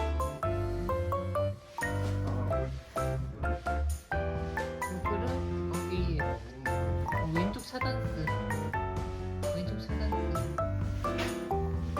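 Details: Bright children's music with mallet-like notes plays throughout, with a little speech and no clear animal sound.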